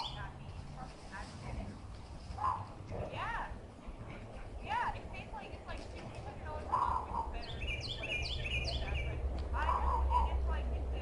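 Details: Short, arched whines and moaning yips from a heeler mix dog (owner guesses the breed) while frolicking in play with an Australian shepherd, rising and falling in pitch at irregular intervals; bird chirps and a low hum behind. Recorded April 2012.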